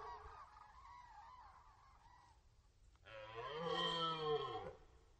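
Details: Red deer roaring during the rut on the Orzysz military training ground in Poland, archival recording: a faint, wavering harmonic call first, then a loud, strongly harmonic roar lasting almost two seconds that swells and then falls away.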